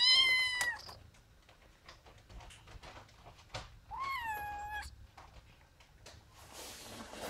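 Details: Ginger, a domestic cat, meows twice: a short bright call at the start, then a longer falling meow about four seconds later, with light clicking and rustle in between.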